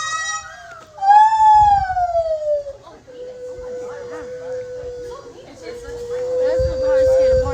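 Lar gibbon giving long, clear, siren-like wailing notes, one sliding downward and others held steady.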